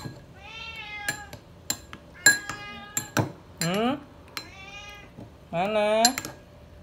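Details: Indoor domestic cat crying for food amid clinking spoons and dishes, several rising and falling meows interrupted by sharp metallic clicks, with a person's voice and light music.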